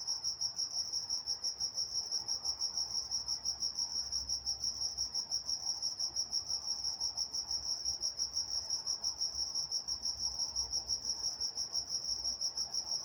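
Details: Night-time chorus of crickets recorded in Walnut, California: an unbroken, high-pitched pulsing chirp, evenly repeated roughly three times a second, with a thin upper overtone and a quiet low rumble underneath.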